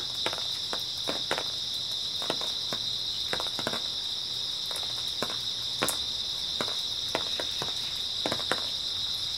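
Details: Unbroken shrill insect chorus from grass insects on an early autumn night, with scattered crisp footsteps and occasional louder scuffs punctuating the steady trill.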